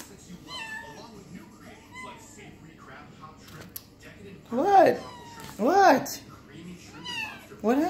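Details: Domestic cat crying indoors with no apparent reason: soft falling meows at first, then three loud, arching wails close together, rising and falling in pitch.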